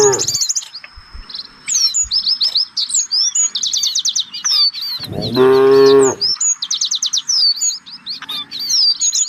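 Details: One of a herd of village cattle out looking for fresh grass lets out a single deep moo lasting about a second. Busy, high bird chirps and trills fill the rest of the recording.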